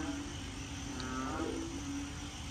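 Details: A frog chorus at the start of the rainy season in Korat, Thailand, at night after heavy rain, gives a low droning moo-like hum resembling distant cattle; big black frogs heard, not seen.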